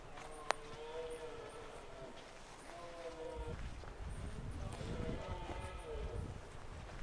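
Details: Red deer stag with a small harem during the autumn rut in Scotland's Highlands; repeated hoarse, wavering roars, with a sharp click near the start and rising rustling noise toward the end.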